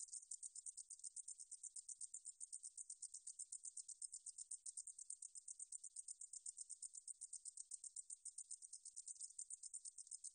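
A katydid sings a high, hissing buzz of rapid pulses, pulsing about four times a second.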